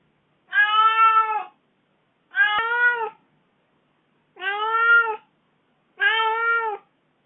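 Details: Aggrieved kitten complaining after four days alone while its owner was away. It gives four evenly spaced, clear meows, each under a second, with a slight downward dip at the end, and quiet pauses between them.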